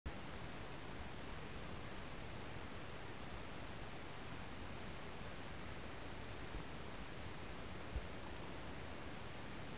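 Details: Cricket chirping by a river, short high-pitched chirps repeated about three times a second in a steady rhythm, over a loud constant rush of flowing water.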